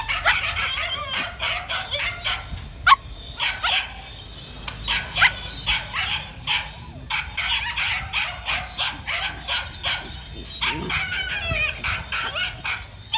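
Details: A male dog, out running, gives rapid runs of short, sharp barks in bursts of several at a time, with brief pauses between the volleys across the whole stretch.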